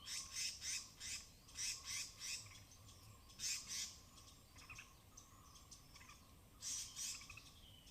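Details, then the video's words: Cautious alarm chatters of forest squirrels on slick, rain-soaked branches in the Tamhini evergreen forest, Western Ghats, recorded binaurally: repeated runs of harsh, shrill notes, about three per second, in several bouts, with a soft constant hum. "High-Pitched Sounds of Squirrels"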